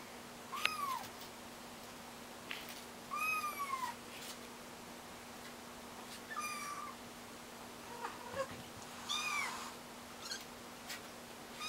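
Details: Kittens learning to walk give about five high mewing calls spread over twelve seconds. Each one slides downward and carries bright harmonics. Soft clicks and a steady low hum sit underneath.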